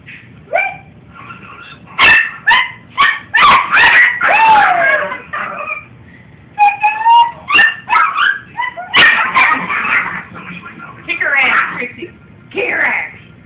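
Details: Two small dogs bark and yip in rapid, shrill bursts, with a few whiny, falling whimpers between.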